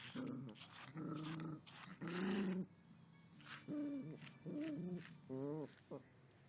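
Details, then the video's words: Yorkshire Terrier growling at a dog brush: a run of about seven short, voiced, throaty growls over six seconds, some longer and rougher, the last one wavering and warbled, with brief gaps of quiet between them. "Yorkshire Terrior Growls at dog brush"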